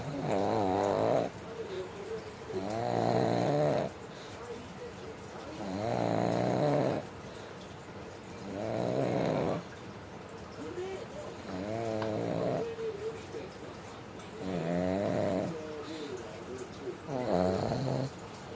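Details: Pug named Mame sound asleep and snoring steadily, rough nasal rattling breaths every two to three seconds, some with a quavering, gurgling edge, soft breathing between snores in a quiet room.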